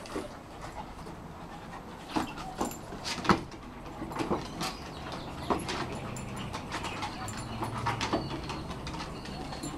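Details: Rolex, a 1-year-old female Shar Pei, wrestles with Ellie, an 8-month-old Kelpie x Border Collie, each attempting to grab the other's cheeks. Sharp scuffles and snaps punctuate a low, steady growl-like rumble during the later seconds.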